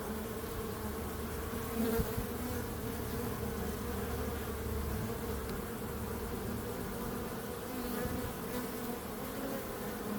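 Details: Continuous buzzing of bees, a dense, low, even drone with a clear overtone band, lasting the whole stretch; one brief soft thump near the two-second mark.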